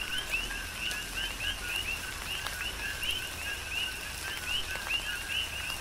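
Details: On the Big Island, Hawaii, coqui frogs call through a tropical rainstorm, their bright upward-sweeping chirps coming every fraction of a second from several individuals, layered over falling rain.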